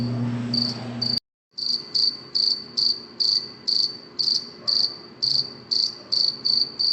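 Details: Cricket chirping at night: after a brief noisy start and a moment of silence, evenly spaced high chirps repeat about twice per second.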